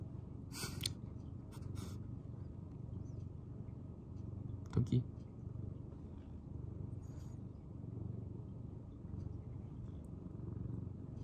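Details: Domestic cat Tokiji, a quiet rescued senior male, purring indoors: a low, even rumble that runs steadily under a few sharp clicks and brief rustling bursts near the start and middle.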